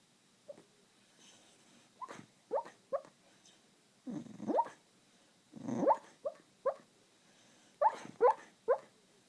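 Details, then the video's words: A sleeping male Beagle, dreaming, gives soft, muffled woofs and whimpering yips in short irregular bursts. "Dog Snoring, Dreaming, and Barking."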